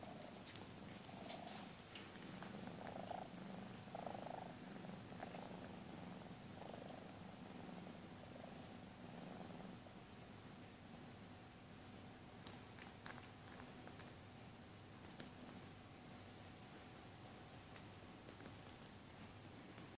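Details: Maine Coon queen with two-month-old kittens in a cattery; a continuous low purr is heard, with a few soft, brief mews in the first seconds and light clicking noises later.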